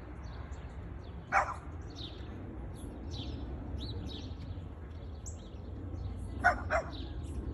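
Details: Boston Terrier named Luca barking at a plastic bag; one sharp bark early, then a quick pair of barks near the end, with scattered high bird chirps and a low murmur between.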